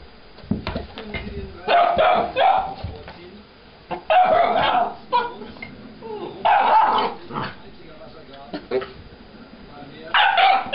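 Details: Vizsla puppy Farina yipping at a squeaky toy stuck under the sofa: four loud, tonal, roughly one-second bursts spaced a couple of seconds apart, with quieter household noise and talking between them.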